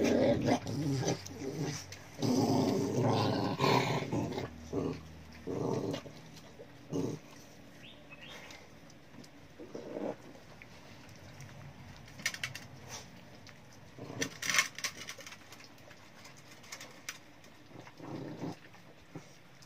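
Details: Cute pet dog growling in bursts over the first few seconds, low rumbling sounds, then quieter scattered noises and faint handling sounds.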